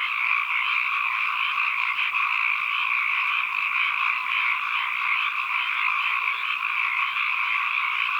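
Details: Frog calls recorded as ambient sound, heard as a thick chorus of countless overlapping callers. A constant, buzzy-trilling wash sits in two bands, mid and high, unchanging in volume, with nothing else audible.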